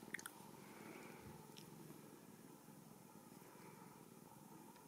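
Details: Purring from a blue-eyed female Ragdoll kitten born and raised at home in central Kansas: a continuous low, pulsing rumble with a few faint clicks and rustles.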